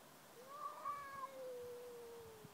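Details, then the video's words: Domestic cat "talking" with a drawn-out meow: a brief higher wavering note, then a long, slowly falling moan lasting nearly two seconds, over a quiet background. "Talking cats"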